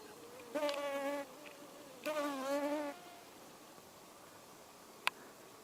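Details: Male drone fly, a European hoverfly, on hogweed: two short droning buzzes with a steady low hum and stacked overtones, the first near half a second long, the second slightly longer, then quiet with a single sharp click.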